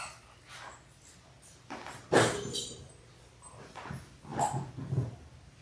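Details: Six-week-old Labrador Retriever puppies, a litter of six born January 18, 2022, indoors on a live puppy cam; scattered short whimpers and yelps, one sharp louder yelp near the middle, with low hum in the background.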